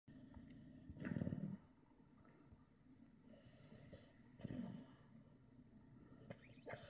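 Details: Bella, a pit bull, snoring while asleep and wrinkling her nose; low rumbling snores below a few hundred pitch bands, two louder breaths about three seconds apart with quiet breathing between.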